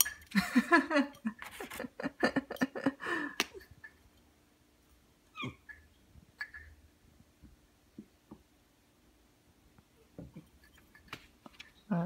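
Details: Two Ragdoll cats, aged thirteen and ten months, come to greet their owner on waking during a slow morning at home: a run of short, throaty voiced calls, then a falling meow and soft chirps in a quiet room.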